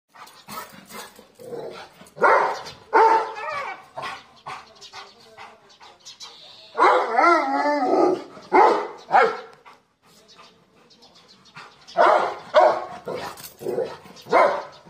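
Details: American Bully dog barking in repeated short bursts, loud clusters around two to three, seven to nine and twelve to fifteen seconds, with quieter gaps between.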